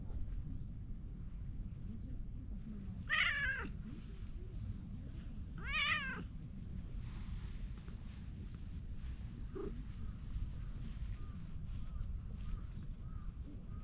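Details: Orange tabby cat at the edge of a pond, happy to be petted, gives two loud harmonic meows about three seconds apart, then a soft short sound, with low wind rumble throughout.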